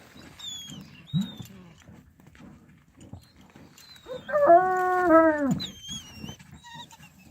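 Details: Tazy hunting dogs catching a fox: a drawn-out, harmonic whining howl lasting about a second, rising slightly then dropping away, preceded by short high thin squeaks and scattered thumps and rustling.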